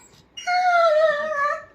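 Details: Pet dachshund giving a single drawn-out tonal whine, steady then gently falling, with a short sharp onset; a woman calls the dog's name before and after in a quiet room.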